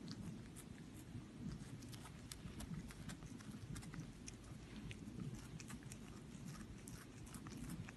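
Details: Cats eating food: a steady run of crunchy, crackling chewing and biting clicks, dense and irregular throughout, with soft low rustling underneath and no voice.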